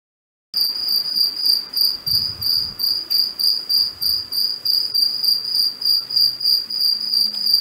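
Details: A cicada sings a high, ringing tone pulsing about three times a second, recorded in the early morning of 2 March 2021 in a residential garden in Cape Town, South Africa.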